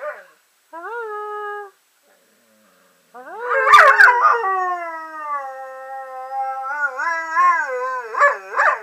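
A German Shorthaired Pointer gives wavering, drawn-out howling moans with sliding pitch, like a dog trying to talk.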